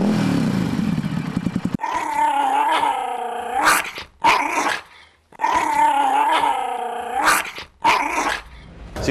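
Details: Dog growling played back for comparison with motorcycle engine noise: a sustained, harmonic-rich snarling rumble lasting about two seconds, repeated twice with short gaps, preceded by a noisy engine-like sound.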